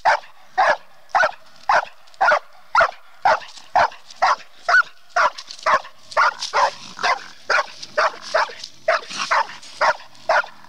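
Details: Female bluetick coonhound being trained on a raccoon, giving rapid, regular barks roughly twice per second, each bark short and sharp, keeping up the rhythm throughout.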